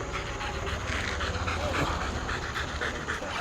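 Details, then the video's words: Street scene with a male Rottweiler, a female Rottweiler and a German Shepherd; rapid rhythmic dog panting, about three to four breaths per second, over a low steady hum of traffic. "Rottweiler male vs female vs German Shepherd fight on street"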